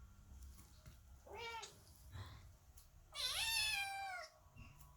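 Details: Domestic kittens meowing loudly at a closed door while their mother cat gives birth; two rising-falling meows, a short one then a longer, louder one, with faint room noise between.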